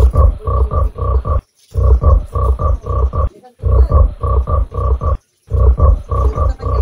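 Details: Giant frog croaking: deep, pulsed croaks delivered in bursts of about five, each burst separated by brief silences, with strong low tones and faint higher overtones.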